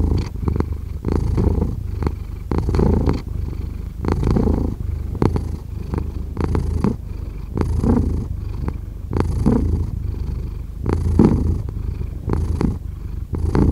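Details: Cat purring close up, a thick low vibration repeating in steady breath cycles, each surge ending in a soft catch before the next, continuing without pause.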